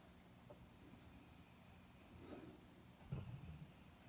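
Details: Airedale Terrier asleep, giving quiet, low snuffling breaths, with a brief snort-like rumble swelling toward the end against faint background hiss.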